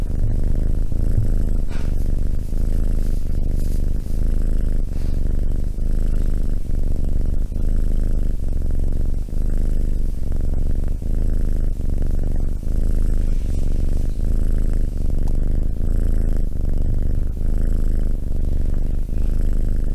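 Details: Steady cat purr over twenty seconds, deep and buzzing, swelling and easing in a regular rhythm of about one breath cycle every 0.8 seconds, with no other clear sounds.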